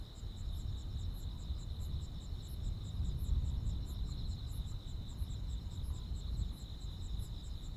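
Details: Countryside crickets and insects chirping on a hot summer night in Korea: an unbroken high-pitched drone with quick regular pulses on top and a heavy low rumble underneath.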